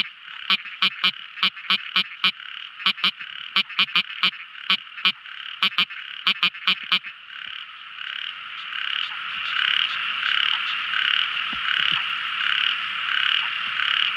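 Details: Night-time song of a tiny frog: rapid clicky notes repeated in clusters for about seven seconds, then giving way to a dense, pulsing chorus that swells and fills the rest.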